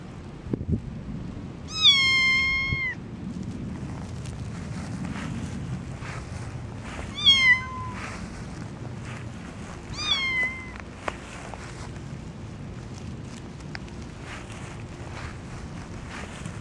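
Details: Orange foster kitten walking on grass outdoors for the first time, meowing as it approaches; three drawn-out, slightly falling meows spaced a few seconds apart over faint background hiss and rustle.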